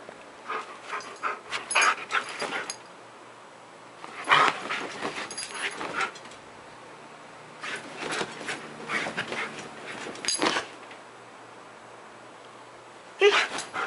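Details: Nearly ten-year-old Siberian Husky spazzing out at 10 AM on 5 July 2018; excited yips, whines and panting come in bursts of one to three seconds, separated by short quiet gaps, with a final outburst near the end.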